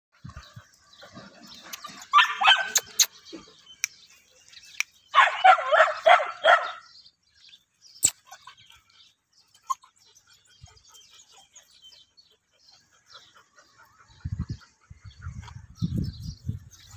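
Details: English Pointer puppies playing in morning weather; bursts of sharp, rapid yappy barks come in two clusters early on, then scattered thumps and soft rustling, with low rumbling handling noise toward the end.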